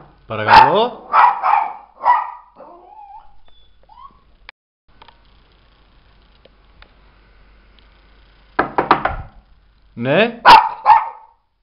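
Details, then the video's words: Mirella, a Miniature Pinscher, barking indoors in reaction to a knock at the door: a rapid run of four sharp, ringing barks, a quiet pause, then a short burst of clipped barks and two or three more loud barks to close. "Mirella [Mini Pinscher] tock tock.. the door....!"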